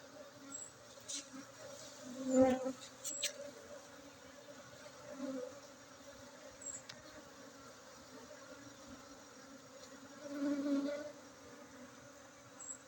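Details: Steady droning hum of honey bees during a honey harvest at a bee-keeping site in Bener Meriah, Aceh, 7 August 2023, swelling briefly louder twice, with faint clicks and handling noise.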